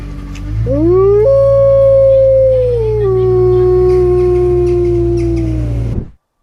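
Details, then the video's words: A single Arctic wolf from the Arctic regions of North America gives a long howl that sweeps upward, holds high, then steps down to a lower sustained tone before fading, over a low steady rumble. "Amazing Wolf Howl Compilation"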